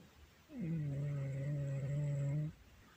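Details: Loud snoring from Shakirah, a pet cat: one steady, low, buzzing drone held for about two seconds, then quiet.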